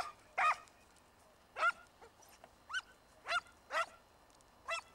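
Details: Hare chase with Segugio Italiano scent hounds in an Italian vineyard, early 1990s: irregular, ringing barks with upward-sweeping tones, spaced roughly half a second to a second apart.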